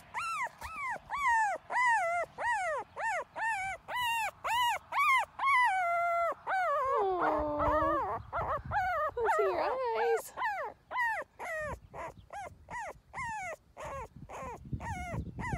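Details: Female liver pepper Miniature Schnauzer puppy whimpering: a rapid run of short, high, arching whines, roughly two per second, broken midway by a longer wavering cry that dips lower, then more quick whines follow.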